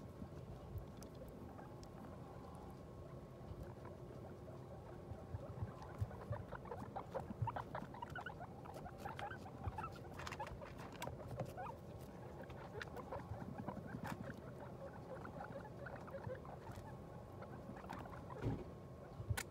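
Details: Guinea pig that has just given birth to New Year's babies; a soft, steady stream of short, quiet squeaks and chirps runs throughout, with rustling and patter beneath and faint low background hum.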